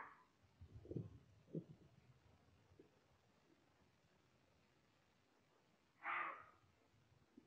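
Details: An agitated roe deer, close by and sensing a human likely by smell, gives a single harsh, hoarse "beoff" warning bark alerting other deer to a threat, after a few soft thuds nearby.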